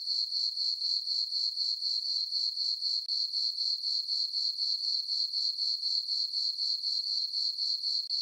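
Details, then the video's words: High, even cricket chirping from a summer meadow on a farm, recorded at night beneath a full moon; rapid pulses repeat about four per second with a clean, bright tone and a quiet background. "Cricket chirping sounds for sleeping"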